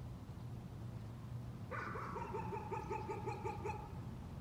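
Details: A dog's nuisance barking begins after a quiet stretch of low humming background: roughly ten fast, clipped barks follow in quick succession over two seconds.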